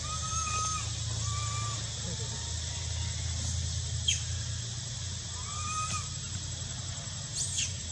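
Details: Soft arched whistles from a young monkey begging for milk at the Angkor Wat and Bayon temples of Cambodia in spring, spaced irregularly over constant insect hiss, low hum and brief clicks.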